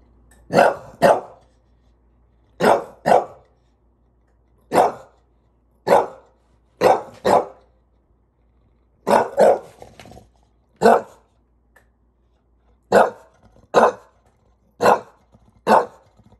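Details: English Bulldog in NYC, frustrated by a ladder, barking in short sharp bursts, often in quick pairs, about a dozen barks spread over sixteen seconds with brief silences between.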